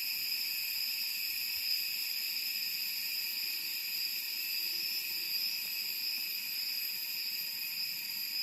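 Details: Cicadas keep up a steady, shrill, high-pitched drone without pause in summer in Da Lat, a mountain city in Vietnam's Central Highlands.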